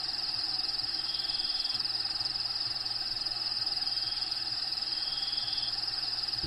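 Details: Inside a vivarium housing a bearded dragon, crickets give an unbroken shrill trill pulsed about four times per second, with a soft low rhythmic hum and a short thump at the end; background habitat sounds playing.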